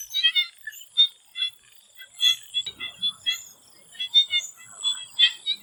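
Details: Swamp frogs in Thailand calling before sunset, clipped high chirps and rattling trills in uneven bursts from several animals, a soft low rumble briefly in the middle, steady high hum throughout.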